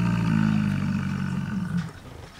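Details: Large male buffalo grunting to display dominance, tongue sticking out: a long, steady, low droning grunt with rich harmonics, held for nearly two seconds before tailing off into quiet surroundings.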